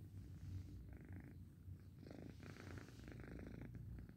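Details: Domestic cat purring while asleep: a soft, steady low rumble throughout, with brief faint higher rustling or breathy sounds in the middle.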